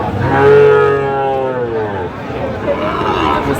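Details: Sahiwal bull calf at a cattle market, bought by a Noakhali farmer, Bangladesh, 27 August 2025: one drawn-out, falling, low moo mixed with nearby talk and background vehicle noise.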